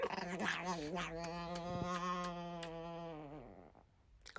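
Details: Paruay, a four-year-old female pet Chihuahua lying in bed, growls jealously at her owner whenever he touches his wife. A sustained, tonal, whining growl holds steady, then sinks and fades near the end.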